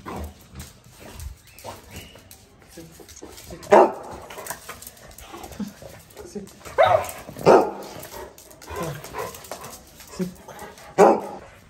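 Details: Playful pet Pug Micky, male and very active, captured on an iPhone 13 Pro Max, barks abruptly several times with irregular gaps, about four loud yaps spread over the stretch amid quieter speech commanding sit and down.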